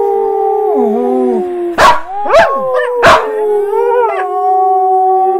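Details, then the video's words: Calla, a female Samoyed, howls in response to recorded Samoyed or husky howls. A steady, level howl runs throughout, interrupted by three loud, sharp yips within about two seconds before the howl carries on. "Samoyed Howling Practice"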